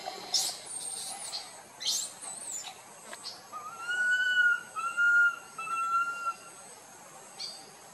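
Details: A tiny young monkey wandering away from its group cries loudly to call it, giving three drawn-out whistled cries, each level or slightly rising, after a few faint high chirps.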